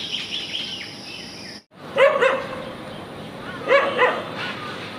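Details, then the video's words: Street dogs quarreling while playing together, giving two short bursts of sharp, yelping barks about two seconds apart, each a quick cluster of two or three yips, with insect buzz and faint bird chirps behind. "Cute dogs quarreling."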